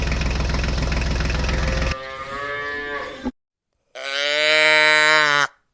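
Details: Farm cow giving a loud, drawn-out moo with a rich, deep harmonic tone lasting about a second and a half. A shorter, quieter moo comes before it, and a dense mechanical or musical din opens the recording.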